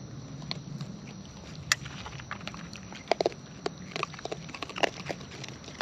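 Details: Close-up sound of wild raccoons eating: dense, uneven crackling bites and crunches, some sharp and bright, over a low rumbling background.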